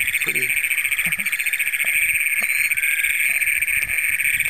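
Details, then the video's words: Great Plains toads trilling after dark in Brown County, Minnesota, on June 27, 2010, first records for the county, filmed with a Canon PowerShot SX100: an intense, shrill, rapidly pulsed drone holds throughout, with a few soft low knocks. "Great Plains Toads in Brown County, Minnesota."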